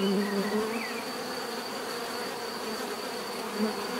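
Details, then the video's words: Short stretch of steady bee buzzing, a low layered drone holding level, with brief faint chirps of a bird near the start. "bees therapy relaxing natural buzzing sound"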